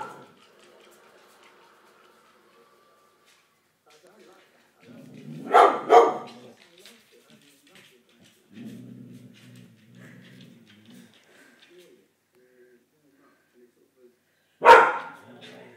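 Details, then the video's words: Springer Spaniel George barking at something: mostly quiet with a low rumbling growl, a pair of sharp barks midway, more growling, then one final loud bark. "George does his I'm a double hard springer bark"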